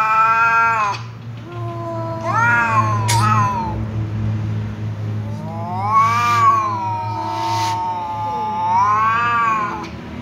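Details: Angry tom cat meowing loudly in response to a ginger cat that keeps meowing; long, drawn-out, wavering yowls rise and fall in several bouts, over a steady low hum in the background.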